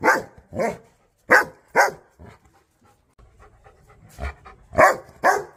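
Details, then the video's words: Angry, aggressive dogs barking at the camera or toward an off-screen sound: sharp, harsh barks in quick pairs, a brief pause with panting and low shuffling, then another burst of three barks. "ANGRY Dogs Barking Sound Effects Aggressive Dogs Barking Compilation"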